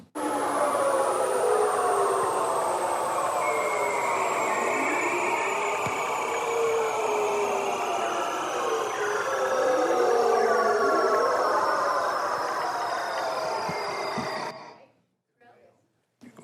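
A male seal's underwater mating call: long, eerie, sliding whistles that glide slowly downward and overlap.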